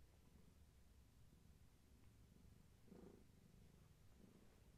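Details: Indoor afternoon purring from Gaia, a family's long-haired tabby cat expecting many kittens, as she pets herself against a person; a quiet, deep, steady rumble with a slight swell in the middle.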